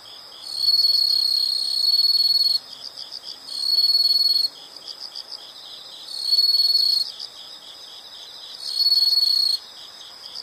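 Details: Insect sound played as a calming nature background for study or sleep: loud, even high-pitched trills lasting one to two seconds, separated by short gaps, over a continuous softer pulsing chirp from further callers.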